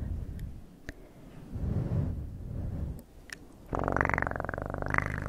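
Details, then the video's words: Domestic cat purring: a low rumble through the first seconds, then a louder, pulsed purr with rapid fine beats and tonal bands rising toward the end, close and indoors. "Best PURRING sounds"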